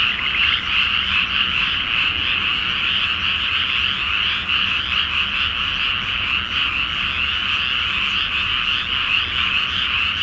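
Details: Night chorus of many frogs in a flooded paddy awaiting rice planting, full moon overhead, Japan; a steady wall of rapid, rattling croaks without pause, faint low rumble underneath.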